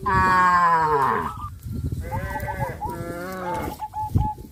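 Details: Village farm cattle on their way to green grass fields give long, drawn-out low moos that bend downward, followed by shorter ones, with faint repeated bird notes and a low rumble near the end.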